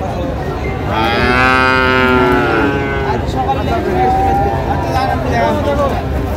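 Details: Bull calf of Friesian or cross breed, sold at Raniganj market, Dinajpur, 14 August 2025. A long, rich moo swells for about two seconds, followed by a thinner, higher bellow, with crowd chatter and bargaining voices throughout.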